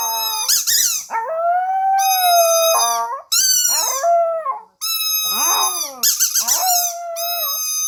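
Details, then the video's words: Household dog howling indoors, giving sustained, mournful tonal notes that bend and waver in pitch. Several long phrases are separated by brief pauses, with a few rougher, noisier onsets at the start of some howls. "강아지가 좋아하는 소리_Dog's Favorite Sound_howling"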